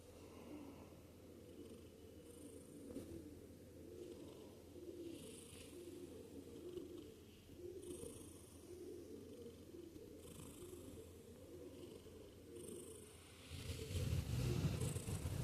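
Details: Sleeping cat with a rhythmic purring snore, a low vibrating rumble pulsing steadily with its breathing every couple of seconds, growing louder and rougher in the final seconds.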